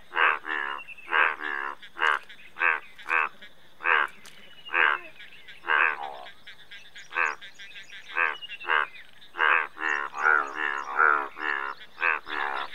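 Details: Busy Indian bullfrog chorus of rapid, rough, honking croaks, some doubled or overlapping, nearly continuous throughout, with louder nearby calls over fainter distant ones.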